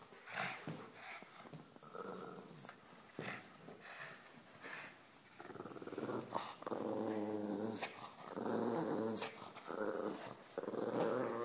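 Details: Pug named Tumbleweed playing tug of war indoors, making funny noises as a shepherd dog comes near; low rumbling growls rise into longer harmonic growl bursts in the second half, with scuffling and short gaps between.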